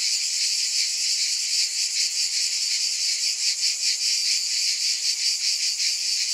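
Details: Loud, steady cicada buzzing, a high sizzling drone that throbs slightly in a fast, regular rhythm, with nothing else audible.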